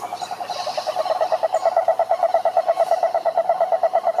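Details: Wild cane toad (Rhinella marina) at a lake in Brazil's Atlantic Forest, a clear rhythmic trill of evenly spaced mid-pitched pulses, about eight per second, with a faint higher chirp early on.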